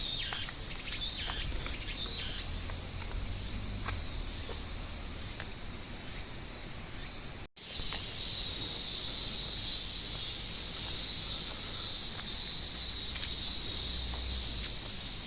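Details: Cicadas in chorus, a steady high shrill buzz in bands with pulsing texture, one abrupt silent break about midway, then the dense buzzing resumes; faint clicks and outdoor ambience underneath.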